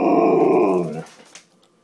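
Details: A male Siberian Husky gives a drawn-out, moaning 'talking' vocalization, chattering insistently to ask for his dinner three hours early.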